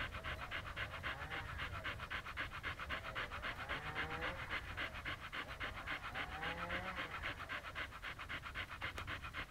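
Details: Siberian Husky in Pleven, Bulgaria, remaining in one place, breathing in a rapid, very regular pant, about four breaths a second throughout, with faint sliding tones behind.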